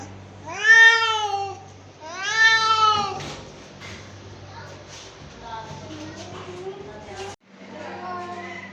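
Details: Domestic cat, angry, giving two loud arching meows in quick succession, then softer, wavering low meows trailing off amid a low background hum.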